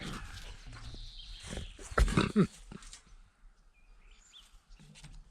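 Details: A 10-week-old female German Shepherd puppy gives a few loud, rough barks with low growling, guarding its space.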